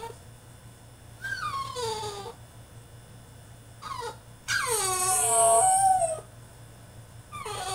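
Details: French Bulldog in his cage throwing a tantrum, letting out a run of drawn-out descending whines and one long, loud wailing cry, with short pauses between them and a faint low hum behind.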